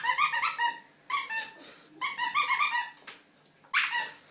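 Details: High-pitched squealing yelps from Coco the puppy at play indoors, clustered in quick runs of several squeaks, then a pause and another run, with a single yelp near the end.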